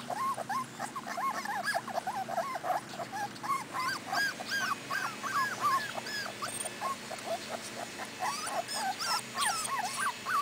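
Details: Several four-week-old Cardigan Welsh Corgi pups, first time outside with their mother in Sweden, keep up a continuous stream of looping, arched whines and yelps, many voices overlapping at a rapid pace.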